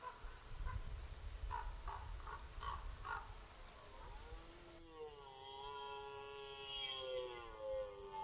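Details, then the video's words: Red deer during the rut at Orzysz military training ground, Poland, archival: a series of short, gruff grunts is followed by a long, steady, tonal bellow that holds its pitch for several seconds. "Archiwalne rykowisko na poligonie Orzysz"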